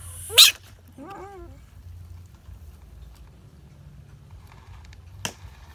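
A bullfrog lets out a loud, harsh scream followed by a thin, wavering, whining squeal. After a pause, one more short, sharp burst cuts through the quiet background.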